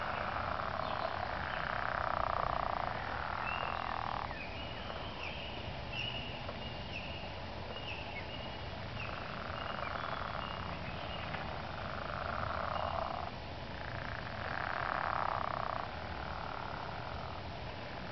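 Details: In early spring, a chorus of frogs gives droning, pulsed trills that swell and fade in overlapping bursts.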